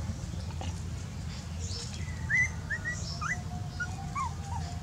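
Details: Dog giving a few thin, high whimpers, short rising and falling whines spread across the clip over a steady low rumbling background.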